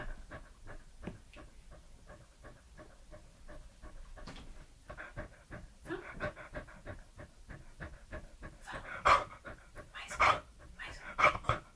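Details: Edmundo, a 3-year-old Pembroke Welsh Corgi, making close-up mouth and eating sounds for ASMR: a dense run of soft wet clicks and smacks, uneven in rhythm, with a few louder smacking bursts near the end.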